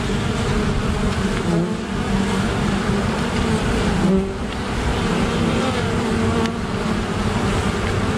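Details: Apiary honey bees in wasp defense against a great black wasp, giving a thick, unbroken drone of wingbeats, rough and low, with slight swells and a short quieter stretch near the middle.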